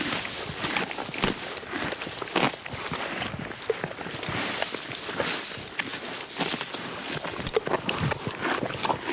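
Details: A horse eating grass close up: continuous crisp crackling and crunching as blades are torn and chewed, with bursts of louder snaps every second or so.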